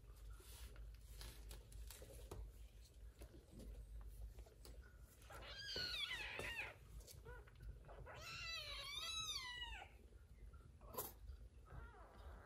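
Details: Mother cat living with her kittens and an adopted baby monkey named Susie, indoors while feeding the kittens; a burst of rising-falling meows near the middle, then a rapid run of repeated high mews, over a low room hum.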